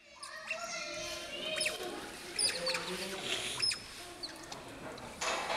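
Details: Asian small-clawed otters in their indoor enclosure at Allwetterzoo Münster, shared with Bornean orangutans, calling while expecting food; high squeaky chirps and short whistled notes, some rising, amid indoor bustle and a brief spoken word.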